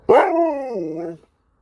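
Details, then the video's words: Husky competing with a Malamute for a treat, giving one loud drawn-out yowling bark, harmonic and wavering, starting sharp then sliding lower for about a second. "Husky takes on a Malamute for a treat"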